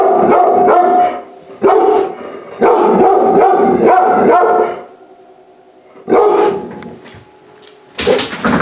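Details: Energetic large-breed puppy, neglected and then saved from euthanasia, explores a home for the first time, barking in fast, loud volleys broken by a quieter stretch before sharp barks resume.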